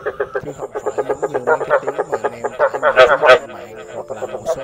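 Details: Rice field frogs (Chinese edible frog) call in a fast chorus of short, throaty croaks, several pulses a second, during mating season to attract females and gather; males also fight over territory and mates.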